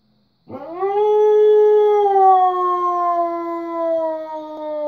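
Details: A male Siberian Husky, hearing coyotes through a window, answers them with a long, sustained howl that rises quickly, then slowly sinks in pitch.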